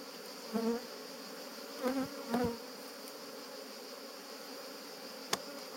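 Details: Honey bees at a family estate in Jouques, Provence, France, on 17 July 2017, disturbed during a honey harvest while defending their hive; three brief buzzy passes drone low and reedy past the microphone over a steady faint hum.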